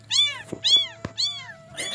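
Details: Newborn kitten, said to be abandoned, crying for its mother: three loud arching meows in quick succession, each rising then falling, about half a second apart, over a steady faint hum.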